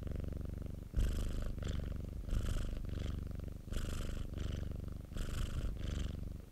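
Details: Domestic cat purring close up, a low throbbing rumble that rises in a brighter, airier phase roughly every one to one and a half seconds as the cat breathes in and out.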